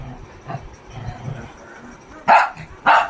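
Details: Shih Tzu giving two short, forceful barks half a second apart near the end, after a stretch of a woman talking to the dog in Telugu, with soft background murmur.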